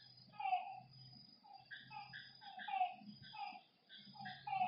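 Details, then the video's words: Frogs by a lake at night give short, nasal croaks at an uneven pace, answered by higher chirping notes, with a thin steady high whine and soft low rumbling behind. "Lakeside night creatures and frog sounds"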